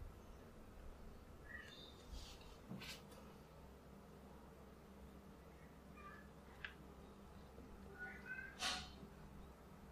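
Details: Classic tabby kitten doing her best to get food: three short, faint, high meows with a bent rising-falling tone, spaced a few seconds apart, over steady low room hum and soft tapping clicks.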